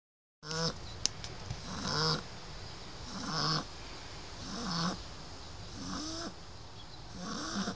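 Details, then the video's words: Shar Pei puppy named Lola, 9 weeks old, sleeping and snoring: rasping breaths repeat roughly every second and a half, each with a rough wheezy rise and fall, steady and close. "Shar Pei Lola snoring 9 Weeks old"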